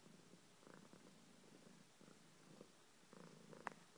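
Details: A pet cat purring indoors: low rumbling bursts in steady breathing cycles, each lasting about half a second with short gaps, plus one sharp click near the end.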